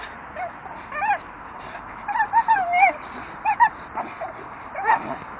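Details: Two Staffordshire terriers chew a dustbin lid swinging from a tree, giving high whiny yelps and strained whimpers in short bursts, some bending upward then falling, clustered around the middle and end, over a low steady background rumble.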